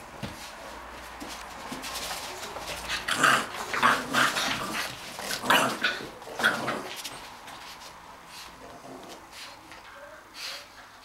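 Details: Two English Bulldogs, Kim and Ally, romping together indoors. Rough, throaty growls and snorting bursts come in a loose flurry, loudest in the middle stretch, then fade to softer grumbles.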